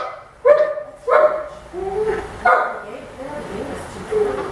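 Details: Orphaned baby howler monkey Milette objects to treatment at the vet, giving sharp, yelping squeals that start abruptly and come about once a second, with faint human voices between them.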